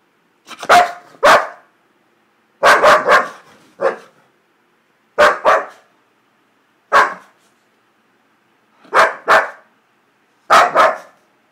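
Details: Duda, a dog described as just happy, barks mostly in pairs of sharp, loud barks with a pause of about a second or two between groups.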